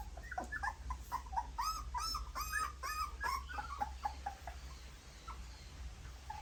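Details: Nursing puppies at their mother's milk give clustered, high, squeaky whimpers and yelps in rapid bursts, overlapping and uneven, then thinning out to a few scattered soft peeps over a low background hum.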